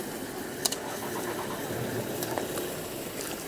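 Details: An idling vehicle engine rumbles steadily, with a couple of short knocks and faint distant noise, but no animal sound.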